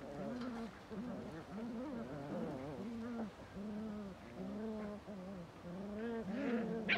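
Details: Belgian Malinois producing a steady stream of short, arched groaning growls, repeated quickly, wavering up and down, with a brief sharp noise near the end.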